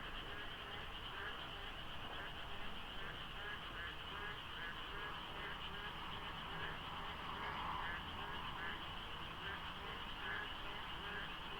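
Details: Frogs calling in a dense chorus at dawn during the monsoon rainy season beside the Deokso IC highway interchange, South Korea, in light fog with little traffic; many overlapping, rapidly repeated croaking notes form a steady wall of sound.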